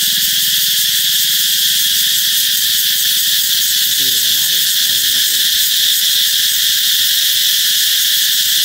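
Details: Cicada chorus heralding the approach of summer, a steady high buzzing drone throughout, with a brief human voice speaking briefly around the middle.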